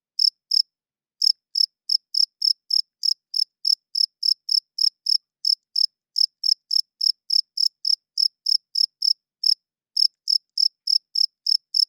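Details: High, pulsing cricket chirps at night: two chirps, a short break, then roughly forty more in a brisk, steady rhythm with a few tiny hitches, the male's call to attract females; background otherwise silent.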